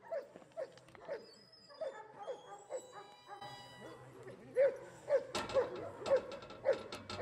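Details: Giant Schnauzer named Gyn-Yuu, from Tenuta de Benedictis, barking in IPO protection work training: rapid repeated sharp barks, nearly two per second, growing louder and more insistent toward the end.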